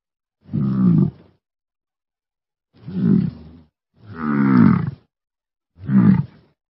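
An American bison gives four deep, rumbling grunts, each about a second long.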